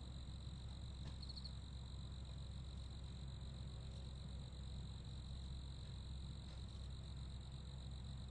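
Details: Steady high-pitched chirping of crickets, sustained without gaps through the whole stretch, with a short cluster of brighter notes near the start and a dense low rumble beneath.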